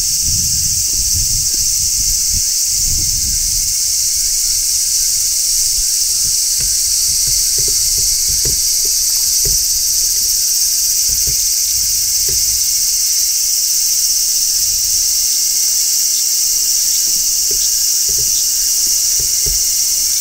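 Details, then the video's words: Midsummer song of a large brown cicada on a tree, a continuous high shrilling drone that never pauses, with scattered soft low knocks and a brief rumble near the start. "Cicadas Singing in Midsummer | Large Brown Cicada"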